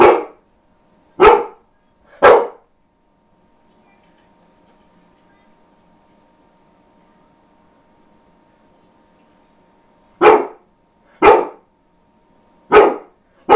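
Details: Ronin, a dog that seldom barks, gives three quick barks, falls silent for about eight seconds with only a faint room hum, then barks four more times about a second apart.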